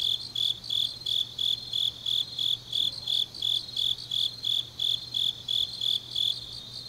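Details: High-pitched insect chirping from a Korean autumn night in Changnyeong, each short ringing pulse following the last at a steady pace of about three per second, with a thin chorus of distant insects and a low drone beneath.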